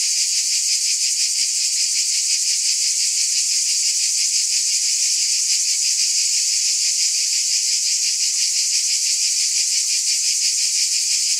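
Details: Continuous cicada buzzing, a high sizzling sheet of sound with a gentle rhythmic pulse of roughly three beats per second, constant in volume, with no background sounds.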